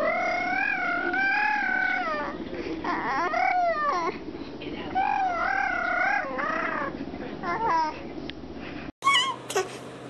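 A raccoon gives wavering, whining cries that rise and fall, much like a fretful infant.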